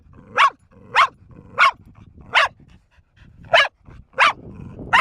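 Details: Sharp, insistent barks from Bear, a four-year-old female dog barking for minutes on end. Seven harsh barks, evenly spaced at first, broken by a brief pause midway, then resuming.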